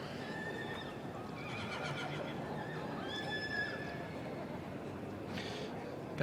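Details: Welsh Cob yearling colt whinnying faintly, a thin wavering high neigh rising and falling over a few seconds against steady crowd and background noise.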